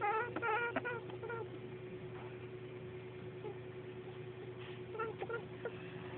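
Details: A large pet female rabbit gives quick bursts of soft, nasal honks while being petted, over a steady background hum.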